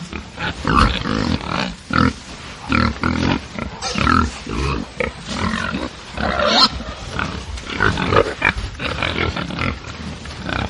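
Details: Angry pigs on a farm producing a continuous jumble of rough grunts and piercing squeals, rising and falling in irregular bursts, several animals overlapping throughout.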